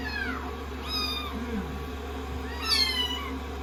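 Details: Kittens taken in as rescues, resting on a lap while a hairdryer dries them after shampooing on day 16: a falling meow, a softer one, then a loud rising-and-falling cry, with the dryer's constant drone throughout.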